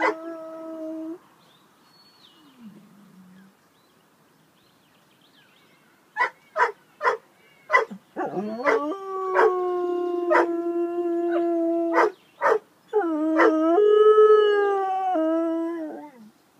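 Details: Bouvier des Flandres dog singing: a long drawn-out howl, first a few short yelps, then sustained tonal wails that hold steady, break into brief barks, and rise again into a final quavering howl.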